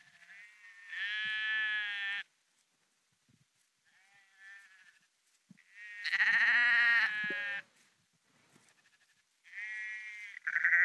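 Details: Flock of sheep on the Porrenkoogdeich dike near Husum in Nordfriesland; three separate loud quavering bleats, the middle one strongest, separated by near-silent pauses with faint distant bleating.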